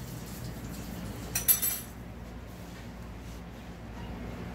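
A brief clink of glass or dishes stands out over low room hum, with no animal voice.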